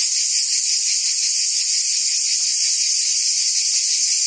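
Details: Short stretch of forest cicadas buzzing in the trees: an intense, high, rasping drone with gentle pulsing inside it, continuous and unvarying.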